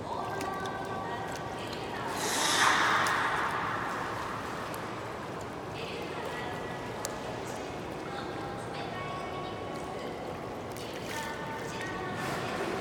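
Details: A beluga during a training session at Port of Nagoya Aquarium, 25 February 2018, gives steady, tonal calls with a breathy burst, over a hum of crowd noise.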